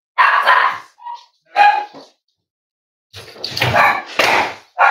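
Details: Cavalier King Charles Spaniel at Red Barn Cavaliers, indoors in a kitchen livestream with puppies; loud barks with a brief whine between them, then a dense run of overlapping barks.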